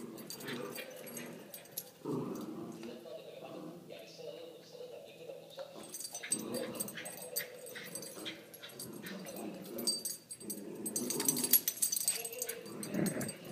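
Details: Puppies at play whimper and yip, with a sustained high whine held for several seconds early on, then scattered yelps over human voices and clattering noises in the background.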